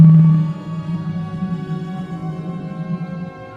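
A low, sustained ambient music drone with steady harmonic tones and no animal sounds.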